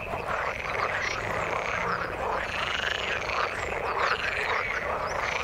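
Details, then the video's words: Many frogs in the water chorus together, a thick unbroken layer of croaking with bright, sweeping call notes rising and falling over one another. "Frog sound in the water"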